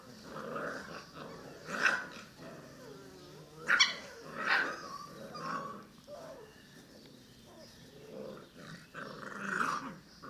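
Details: Cane Corso puppies, six weeks old, growl and yap at each other indoors; rough rumbling growls swell repeatedly, punctuated by sharp bark-like yips roughly every two seconds.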